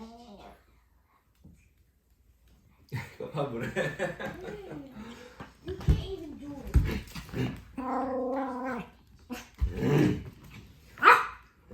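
A Pomeranian puppy gives a string of rough, harmonic growls and drawn-out, whining roars.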